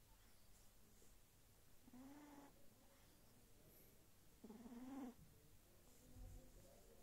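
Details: Two low, raspy snores from a Sphynx kitten fast asleep, each lasting about half a second with a layered buzzy tone, separated by quiet pauses and faint background hum.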